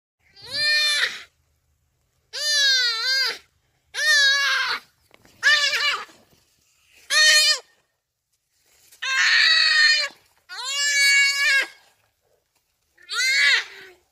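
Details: Buck crying for help while caught by a cheetah: eight loud, harmonically rich, wavering bleating cries, each about one second long, separated by short silences.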